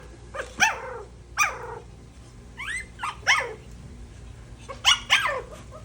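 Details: Poodle puppies trying milk for the first time give short, high, whiny yelps that often slide downward, in uneven bursts of one to three over six seconds, with low room hum beneath.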